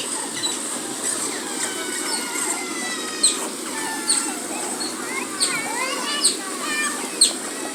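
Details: Asian small-clawed otter at a zoo, rubbing its body against a large tree; high, harmonic chirps that sweep up and down, repeated in quick bursts, over steady background hiss.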